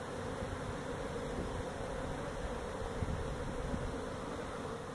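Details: Unbroken low buzzing of a feral honey bee colony that built its hive inside a tractor tire at a Mission, Texas citrus orchard, recorded during the removal, steady and even throughout.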